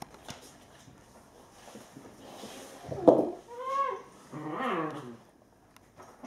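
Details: Playing Alaskan Malamute puppies, eight weeks old: a short scuffle, then a bending whine and a rougher, harmonic growling yelp in quick succession, with faint background rustling.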